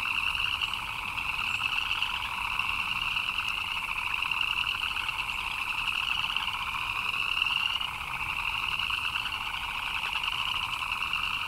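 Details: Frogs chirping in the rain: a dense, unbroken chorus of many rapid pulsed chirps forming two steady layers, one mid-pitched and one higher and brighter, holding level throughout with no clear pauses or other animals.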